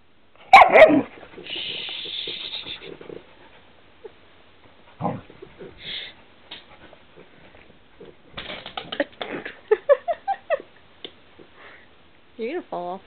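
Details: Snow, a pet dog on a bed indoors, tussling with the camera and giving doggy "no's": one sharp bark, then drawn-out whines, warbling vocal moans, a quick run of rising yips, and a wavering whine at the end, with little talking.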